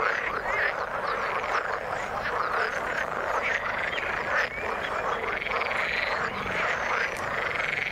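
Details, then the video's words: Chorus of frogs in the water, thick and continuous, full of layered croaking pulses. Occasional short whistled notes rise above the churning mass of calls. "Frog sound in the water"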